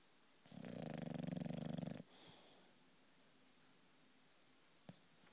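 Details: A female British bulldog called Loulou snoring in her sleep: one strong, rattling inhaled snore of about a second and a half, followed by quiet breathing and a faint click.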